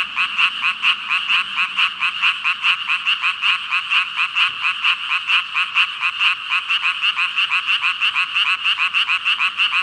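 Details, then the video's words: Thousands of frogs croaking at once, recorded with a Rode VideoMicro: a continuous pulsing chorus of short ribbit-like notes, overlapping beats about twice a second, steady and loud throughout with a faint low rumble early on. "개구리 수천마리 개굴개굴 울음소리 | 물멍 | 🐸 5,000 frogs ribbit-ribbit"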